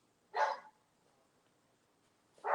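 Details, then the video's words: An old female family dog barks indoors on a nice-weather day when all the animals were wound up. Two short, sharp barks come about two seconds apart, with quiet in between. "that's the old dog barking"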